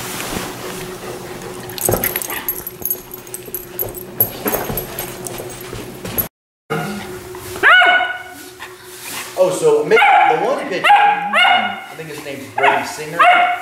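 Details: Hungry at mealtime, the Chesapeake Bay Retriever puppy Willow, a female, breaks into a run of high, wavering whines and yips in the second half, following quieter background room noise.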